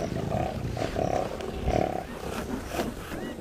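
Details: Lions of the Mwamba pride on the Luangwa River's west bank, Zambia, give rough, rasping growls that pulse in short bursts about every half second, with brief clicks and bush sounds around them.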